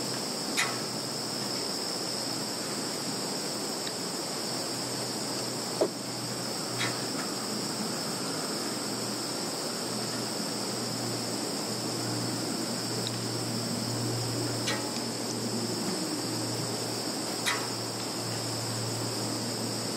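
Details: Insects in a field in Zhukovsky district, Kaluga region, Russia, on 11 September 2019, give an unbroken, shrill trilling at two high pitches over a faint low hum, with a few brief clicks.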